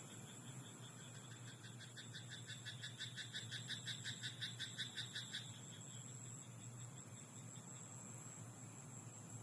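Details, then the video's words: Night-time frog in a rice paddy, heard as a quiet pulsed rattle of quick, even beats lasting around four seconds before stopping, with a steady hiss and low hum underneath. "田んぼのカエル "Croaking frog in rice paddy at night""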